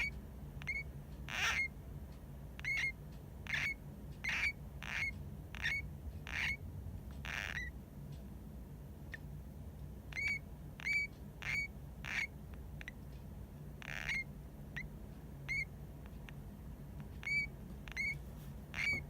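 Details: Pet hamster named Hamuzo, half asleep and possibly snoring, calling occasionally for unknown reasons: short, high, hooked chirps with bright overtones repeat roughly once a second in uneven bursts over a faint low hum.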